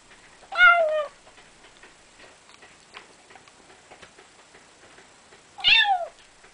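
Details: Pet cat eating the food it was fed, two strained meows about five seconds apart, the second higher and more wavering, faint clicks in the quiet gap.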